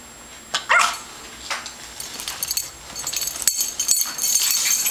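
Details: Yorkshire Terrier puppy named Tobi, a pet born around December 2010 and recorded in May 2011, gives a short high whimpering yip near the start and a fainter second one, followed by scratchy rustling and hissing household noise.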